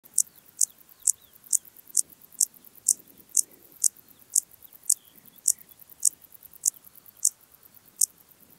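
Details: Intermediate Cross-backed Grasshopper (Dociostaurus brevicollis) recorded at Zalahalap, Hungary, on 18 July 2022: short, sharp high-pitched chirps repeated roughly every half second in a steady series, over faint background noise.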